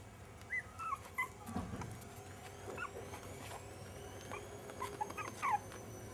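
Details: Jack Russell Terrier puppies, five and a half weeks old, giving a few short, high, squeaky whimpers and yips, clustered near the start and again near the end, over a low steady background hum.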